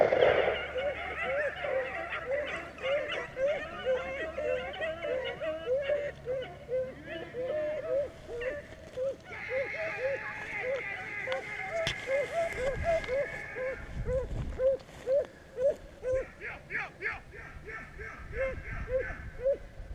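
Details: Beagles baying at Vera, Virginia: a chorus of steady, ringing hound bays, about two per second, overlapping throughout, with a brief burst of higher, rougher calling midway and a man's voice near the end.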